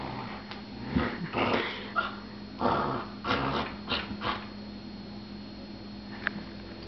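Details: A puppy at play gives short rough growls and yips in uneven bursts over the first four and a half seconds, mixed with scuffling knocks, then goes quiet apart from one faint squeak.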